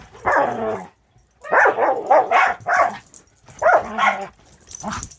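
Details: A young Border Collie mix, Angel, six months old and in foster with Wisconsin Border Collie Rescue, roughhousing with the dog Cisco: gruff growling barks in quick bunches, split by brief quiet gaps.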